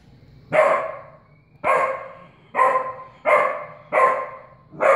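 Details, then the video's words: A young dog barks at a house cat, filmed in 2016 while still untrained; six loud, clipped barks with rich overtones, spaced unevenly about a second apart, with a quiet room in between. "puppy Raina barking at Boots kitty"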